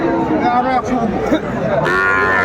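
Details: Sahiwal bull calf at a cattle market in Gazipur, Bangladesh, on 27 August 2024, giving a drawn-out harmonic moo amid crowd chatter and men bargaining over its price.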